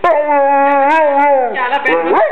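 A Rottweiler gives a long, steady howl that breaks into wavering, talking-like yowls.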